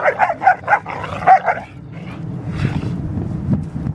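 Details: Deerhounds Art and Finn at play fight, a quick series of five or six rhythmic yappy barks, then low grumbling growls and scuffling noise.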